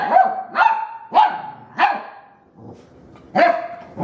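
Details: Female puppy indoors, meeting a vacuum cleaner for the first time, gives sharp high-pitched barks in a rapid series, five loud yaps within four seconds with a brief quiet pause before the last ones.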